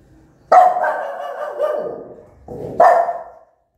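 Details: Aggressive mother dog barking loudly toward her newborn pups: one long, harsh bark trailing into a growly tail, a brief pause, then a second loud bark.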